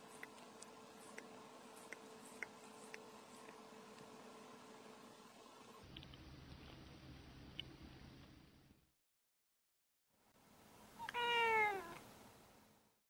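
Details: White cat Yuki, a pet, after quietly licking a hand: soft ticking and faint background hum, a short silence, then one clear, slightly falling, harmonic meow lasting about a second near the end.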